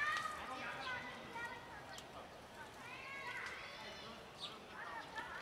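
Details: Mother cat with her two kittens in a sheltered garden; several high, arching meows, rising then falling with rich overtones, clustered near the start and again around the middle, over a soft outdoor background.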